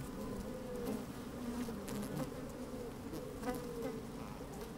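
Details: Worker honey bees moving about an opened hive in sunny, breezy weather: a continuous low droning hum, with gliding buzz tones and scattered crackles and taps from bees brushing the microphone.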